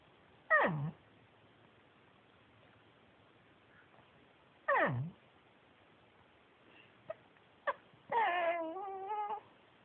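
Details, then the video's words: Male Pekingese Yuyu, a shelter adoptee, talking: two sharp whines that drop steeply in pitch several seconds apart, a couple of soft clicks, then a longer, steady, harmonic moaning note in a quiet room. "pekingese talking"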